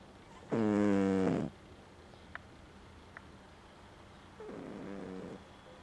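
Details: A cat's snore: one loud, buzzy, vibrating breath with a clear fluttering drone, followed after a few seconds of quiet by a softer, shorter rattling snore.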